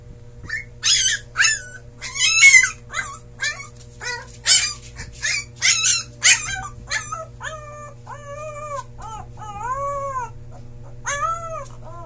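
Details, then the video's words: Siberian Husky puppy's first howl: a burst of sharp yips and squeaky whimpers in the first seven seconds, then short rising-falling tonal howl notes repeated about once a second, low hum throughout. "My puppy howl for the first time"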